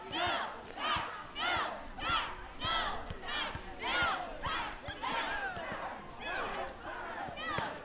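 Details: Two cats, Evie the blond cat and Nawwab the black cat, fighting each other; short arched, harmonic yowling cries repeat about every two-thirds of a second, around eleven in a row, rising then falling.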